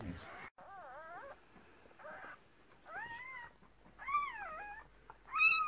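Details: Squeals from newborn Cardigan Welsh Corgi puppies during the 2018 delivery of a red merle female's first litter of six. Five or six wavering, bent cries come in quick succession, and the last is loudest, followed by Dutch speech.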